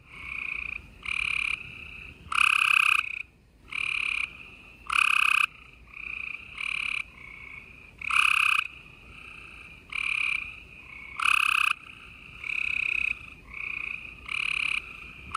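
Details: A busy spring night chorus of gray treefrogs in Houston, Texas, on April 28, 2020. Short pulsed trills from several frogs alternate in a steady rhythm, about one call every second, some loud and close, others softer.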